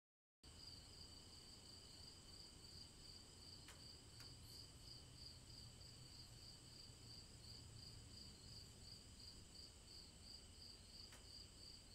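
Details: Cicadas singing on a summer day in the woods: a steady, shrill, high-pitched drone with a fast, even pulsing that runs unbroken after a brief silent start, over a low background rumble and a few faint clicks.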